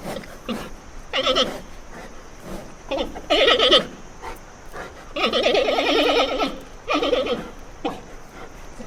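A giant panda gives wavering, goat-like bleats in short bursts, with a longer quavering call near the end.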